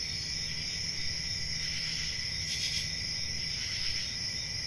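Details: A dense chorus of crickets makes a steady, high, shimmering trill on a peaceful country summer night.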